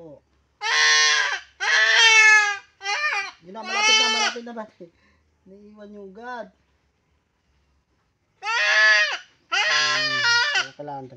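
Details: Goat bleating during castration: loud, harmonic, quavering bleats in several bursts, a pause of about two seconds, then two more strident cries, with a few lower, shorter voiced sounds between.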